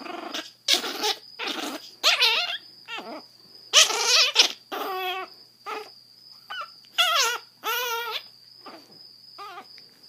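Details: Grumpy seven-week-old female Chihuahua puppy, rescued from a Fort Worth, Texas shelter, blind from severe hydrocephalus; short whiny, grumbling growls in uneven bursts, some sliding downward, over a steady high electronic tone while a person coaxes her.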